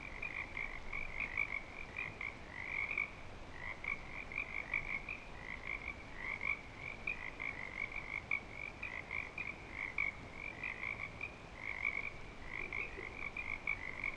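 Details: A continuous breeding-season frog chorus at Clearwater Commons: many high, pulsing trills overlap steadily throughout, with a softer lower tone running underneath.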